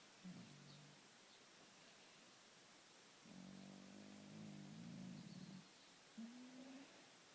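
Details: Louis, a pet cat, snoring and purring in his sleep; low rumbling buzz that starts briefly, then holds steady for about two seconds with pulsing texture, and ends with a short rising rumble.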